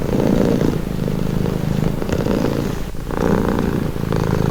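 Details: Domestic cat purring steadily, presented as a calming, relaxing sound; a continuous low rumble with rhythmic pulses and alternating breath phases changing roughly every second or two.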